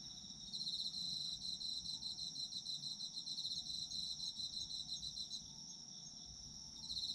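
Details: Autumn insects calling in a sleep ASMR recording: rapid high-pitched pulsed trills over a continuous ringing note, with a faint lower whistling tone running underneath and a brief lull near the end.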